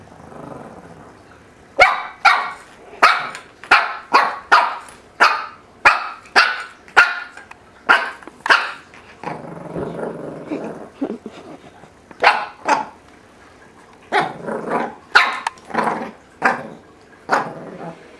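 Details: Three-month-old Shih Tzu puppy in a kitchen play pen discovering a tuna can, Bozeman, Montana, April 2007; sharp, high barks come in rapid runs about every half second, with a brief stretch of softer rustling midway.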